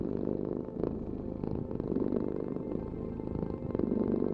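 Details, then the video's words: Continuous low, buzzy rumble of a domestic cat's purr with little change in loudness over a few seconds. "Heal with the ultimate cat purring vibration"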